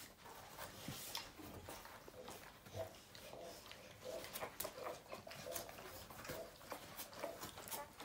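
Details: Newborn puppies making faint, high mewing squeaks in short bursts, repeated through the recording, with rustling and clicks of movement in a quiet room.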